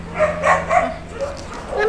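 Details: Red teacup poodle bundled in a towel after her bath, giving a short run of high, yappy barks and whines with a few quick bursts close together.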